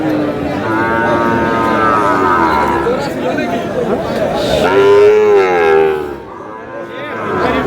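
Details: Sahiwal breed bull calves at a crowded haat where a Munshiganj farmer is buying, 29 March 2026; one long, strongly harmonic lowing moo swells mid-clip above a steady background of voices and shouting.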